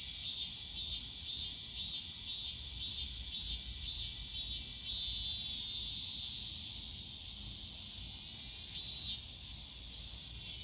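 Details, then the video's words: Cicadas on a summer day in Yongsan Family Park's bamboo grove: a high drone with a cicada pulsing about twice a second for five seconds, then fading, one more burst near nine seconds. "용산가족공원 대나무숲 매미소리"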